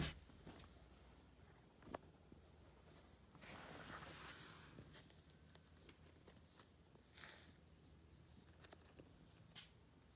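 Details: Little rabbits loudly eating dried sorrel, with crisp crunching and tearing bursts, a denser stretch of chewing around the middle, scattered sharp clicks and a low steady hum underneath; no talking.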